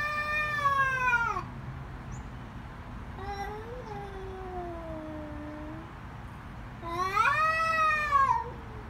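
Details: Cats in a fight caterwauling: a high descending screech, then a long wavering lower moan that dips and rises, followed by a sharp rising-then-falling loud wail.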